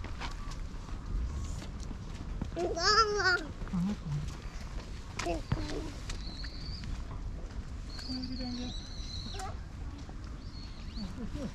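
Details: Fluffy 'tanuki' cat in its thicker winter coat, having its belly rubbed outdoors, gives one arched meow of about a second that rises and then falls. Quiet outdoor ambience with thin high bird whistles and voices follows.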